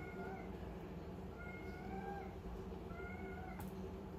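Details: Three short, high, even-pitched kitten meows spaced over four seconds while a calico kitten plays with a small ball; one sharp click near the end and a steady low hum throughout.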